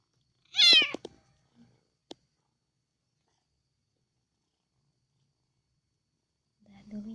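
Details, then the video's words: Domestic cat calling while being fed, a hungry cat's voice said to sound like Alhamdulillah and to stop once it is full: one loud, harmonic, slightly wavering meow at the start, then silence, a click and a brief human voice. "Kucing ini sebut ALHAMDULILLAH saat dikasih makan || Cats call thank God Alhamdulillah"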